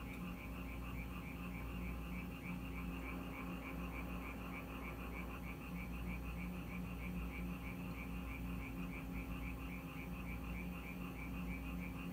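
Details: Frogs in Korea that came to a house when it rained, croaking in a steady dense chorus with a rapid pulsed trill repeating throughout, over constant low hum.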